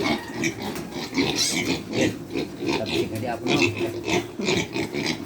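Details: Pig; grunts and squeals; hunger at feeding time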